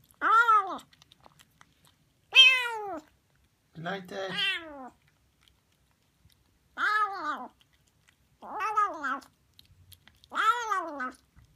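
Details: Female Siamese kitten Harley eating sardines indoors; a string of six or seven short, loud arched meows about every two seconds, one lower and rougher, otherwise quiet between calls.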